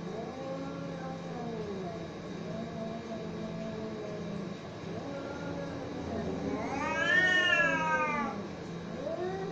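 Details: Cats fighting: low drawn-out growling moans for several seconds, broken by one loud, high, arching scream around seven seconds, then a return to low wavering yowls.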